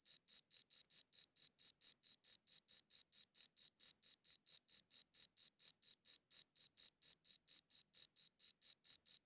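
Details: Steady chirps from a cricket, captured on a good audio recorder: crisp, high-pitched pulses roughly twice a second in an unbroken even rhythm, with no other noise.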